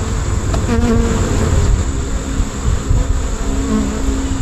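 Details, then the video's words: Honey bee swarm filling the air with a dense, continuous buzzing hum, individual bees droning past at shifting pitch over a low rumbling background. "Honey Bee Swarm"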